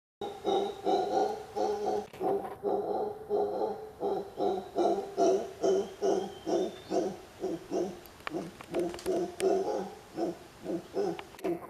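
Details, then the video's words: Mantled howler calling in a steady series of rough, harmonic, low pulses, about two per second, each a short throaty burst, continuing rhythmically throughout with little background sound. "Mono aullador(Alouatta palliata)"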